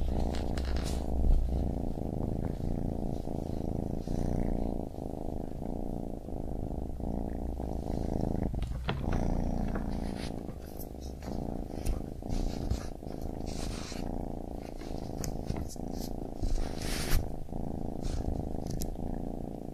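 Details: Purring from a baby kitten: continuous low rumble with regular breath breaks, scattered soft knocks and rustling over the top.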